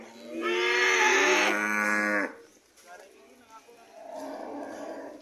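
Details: Red cow coming home, one loud, rich moo lasting nearly two seconds that drops slightly in pitch, followed by quieter background noise and faint lowing.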